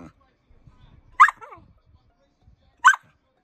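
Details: Samoyed 'talking' in two short, bright yelping bursts about a second and a half apart, the first followed by a lower, falling, moaning note; quiet in between.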